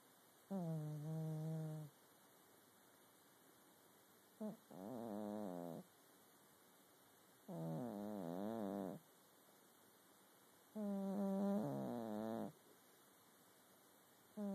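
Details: Sleeping domestic cat snoring indoors: harmonic, nasal rasps about 1–2 seconds long, separated by quiet gaps, some breaths wavering in pitch, roughly eighteen per minute, with a faint steady hum in the background.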